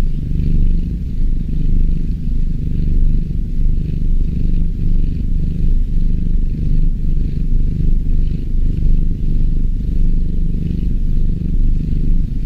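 A kitten purrs steadily, a deep continuous rumbling thrum with a gentle rhythmic pulse.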